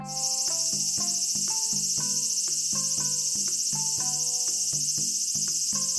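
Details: In Japan in summer, a large brown cicada (Graptopsaltria nigrofuscata) gives a steady, high, sizzling drone like oil frying, over light plucked music.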